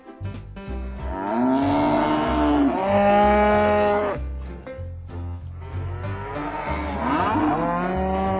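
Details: Cattle bellowing: a long, sweeping moo that rises and sinks in pitch, then a shorter moo near the end, over a steady musical backing with a pulsing bass.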